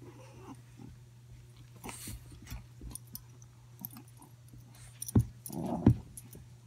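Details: Two Boston Terriers, the bigger dog Gluten and a 7-week-old puppy Pumpkin, growl in low, rumbling bursts while wrestling and playing tug of war roughly, with a steady electrical hum behind.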